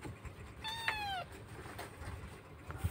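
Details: Rescued Indonesian kitten crying for its absent mother: one short, thin, downward-sliding meow rises above a noisy room background of rumble and hiss, with a faint knock midway.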